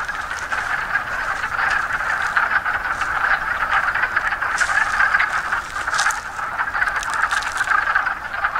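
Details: Wood frogs (Lithobates sylvaticus) chorus in a pond by hotel ruins along the Appalachian Trail near Fort Henry, Pennsylvania: a dense, continuous mass of low, clucking, duck-like croaks, with something splashing in the water.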